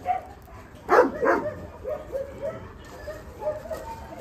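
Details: Dog giving two loud, sharp barks close together, followed by a run of softer, shorter yips at an uneven pace, with low background noise throughout.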